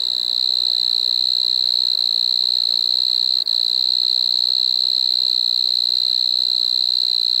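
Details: Singing Striped Marsh-cricket (Pteronemobius lineolatus) from Maggia, Switzerland, 1 September 2023; an even, sustained high-pitched trill, interrupted only by one tiny dropout midway.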